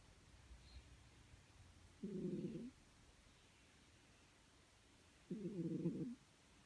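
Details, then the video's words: Cat asleep and snoring, two soft, raspy snores about three seconds apart, each lasting around half a second, in an otherwise hushed room. "My snoring cat"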